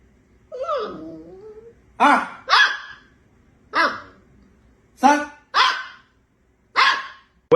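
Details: Golden Retriever puppy barking: after a brief murmur of human voice, a string of seven sharp, bright barks comes in pairs and singles, spaced roughly half a second to a second apart, with quiet gaps between.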